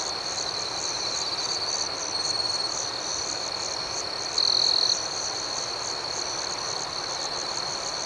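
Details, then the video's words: Crickets at night keep up an unbroken, high, finely pulsed chorus. Faint trills drift in early, and one louder half-second trill sounds at about four and a half seconds. "Soothing Cricket Sounds"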